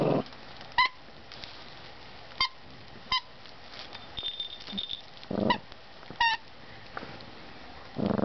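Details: Pomeranian Chihuahua mix playing with its owner before sleep, making brief high squeaky yelps at irregular intervals, with low rustling and handling thumps between them.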